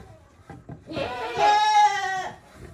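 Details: Goat in a shed on a handmade goat farm, 5 December 2023, among goats with varied and sometimes odd voices: a single long, wavering, nasal bleat lasting over a second, preceded by light shuffling.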